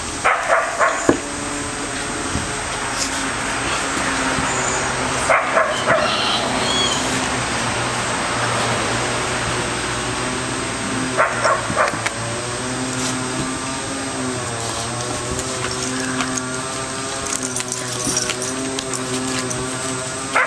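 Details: Three dogs at play: Bella the American Staffordshire terrier, Orson the red heeler pup and Patches the Border Collie. Drawn-out tonal whines and growly moans waver up and down, broken by occasional barks, with a low engine-like hum beneath.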